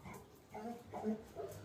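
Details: Lily, a pet Labrador Retriever, after her apple falls: three short tonal whining yelps, the middle one loudest, spread over under two seconds, with a person speaking nearby.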